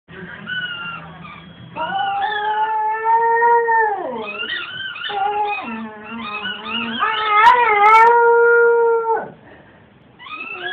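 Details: A 7-month-old male Cocker Spaniel puppy howls in long, wavering, high-pitched notes that slide and drop in pitch while playing with his squeaky toy.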